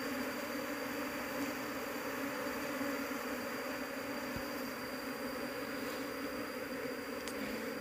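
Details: Asian honey bee colony (Apis cerana) searched through for its queen during an attempt to take it home for beekeeping; a steady, dense, low buzzing hum runs through the whole recording, fairly faint, with a brief click near the end.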